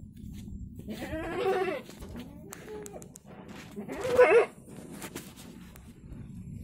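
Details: Lively kampung goat from Java bleating twice: a wavering, nasal bleat lasting under a second, then a louder, sharper bleat about three seconds later, with low background rumble between calls.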